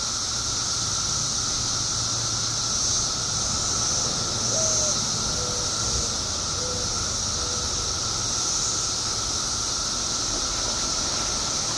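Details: Periodical cicadas emerging after 17 years underground in Illinois fill the air with a continuous high, hissing drone. A few short, soft chirps from another bird rise briefly through the middle.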